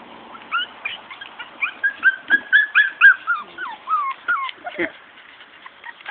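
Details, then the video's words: Morkie puppies, Maltese and Yorkie crosses, whimper and squeal in a rapid string of rising and falling whiny cries, about four per second, loudest in the middle, tapering to scattered squeaks. "Cute Morkie Puppies"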